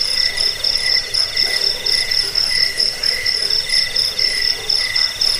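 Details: Chirping crickets, used to scare off rats, bring on sleep and serve as song models for birds: a bright, unbroken high trill plus quick, repeated lower pulsed chirps in a dense chorus.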